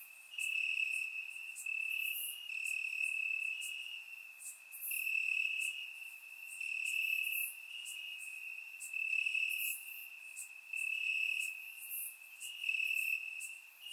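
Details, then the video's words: Night chorus of crickets in Bulgarian summer grass: continuous shrill ringing tone with rapid clustered chirps rising and falling in loudness roughly every two seconds, captured on a surround microphone. "Cricket Sounds - Crickets Chirping at Night"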